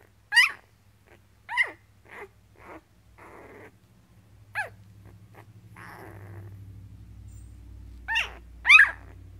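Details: One-week-old Goldendoodle puppy, a newborn of a litter of twelve, giving thin high rising squeaks in short bursts, with a soft rustling noise and a low hum building in the middle.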